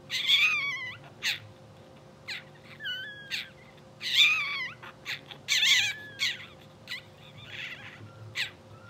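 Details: Newborn English Bulldog pups from a blue sable litter, two hours old, sleeping and twitching. A busy run of high, quavering squeaks and whimpers, some bending up and down, coming in bursts roughly every second over a constant electrical hum.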